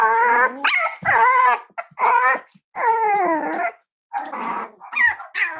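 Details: Five-week-old Cavalier King Charles Spaniel puppies from Myra and Remy's litter at Red Barn Cavaliers, indoors on a chilly Thursday morning, give a run of high, wavering, harmonic howls and whines, several in quick succession with brief pauses between them.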